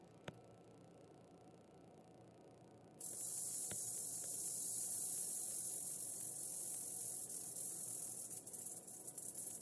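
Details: Western diamondback rattlesnake killing its mouse prey: near-quiet for three seconds with a couple of sharp clicks, then a loud continuous high-pitched buzzing rattle that carries on to the end.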